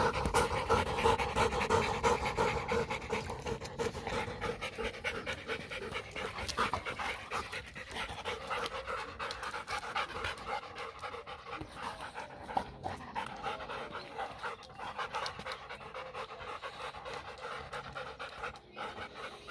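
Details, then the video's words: Mixed German Shepherd x Labrador dog breathing in fast, regular pants during playtime, a long unbroken stream of airy huffs close to the microphone. "GERMAN SHEPHERDS X LABRADOR PLAYTIME"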